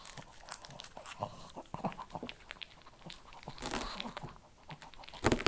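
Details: Shih Tzu indoors in a small room, eating kibble: dense, irregular crunching and biting clicks, with a louder burst of crunches near the end.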